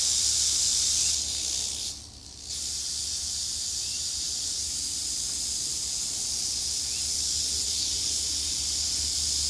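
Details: Eastern diamondback rattlesnake in Florida rattling while a person interacts with it. A steady, high, hissing buzz runs almost without a break, with a brief dip in loudness near the two-second mark and a faint low hum beneath.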